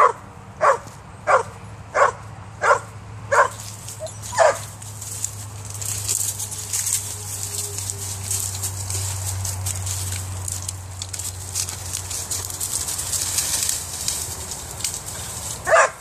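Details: Female Vizsla Weimaraner mix excited at a cat up a tree, giving six quick barks over the first five seconds, then a steady low hum and rustling noise with one more bark at the end.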